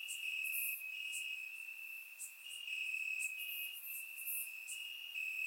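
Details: Night chorus of crickets chirping in grass, Bulgaria, summer, surround-microphone recording; an unbroken high ringing trill stays level in pitch while fainter, very high clicks and chirps flicker intermittently above it.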